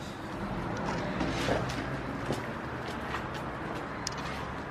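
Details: Quiet outdoor background of passing vehicles, a few faint knocks and footsteps, and distant voices, with no animal sound.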